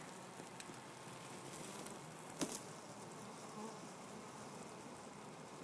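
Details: Honey bee colony living inside a church wall in Jacksonville, Florida, seen at an opening in the wall during a removal; a steady, dense hum fills the recording with a brief clatter near the middle.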